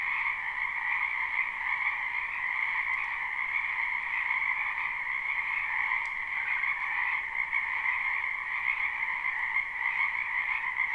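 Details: Spring wetland full of croaking frogs, recorded live; a thick, unchanging chorus of rapid trills in two bands, with a couple of faint ticks but no other animals or people.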